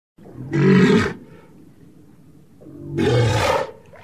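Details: A walrus (Odobenus rosmarus) gives two deep, rough bellowing roars about two seconds apart.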